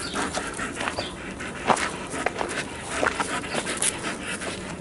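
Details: Alaskan Malamute during a game of tug of war, steady loud panting with a few brief whimpering squeaks and bumps of movement.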